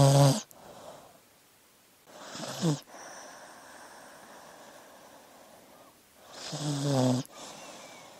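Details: A sleeping dog snoring: three loud, rasping breaths with harsh layered tones come about every three seconds, separated by quiet stretches of softer wheezy breathing.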